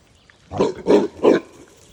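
A pig gives three short, rough grunts in quick succession, each about a third of a second apart.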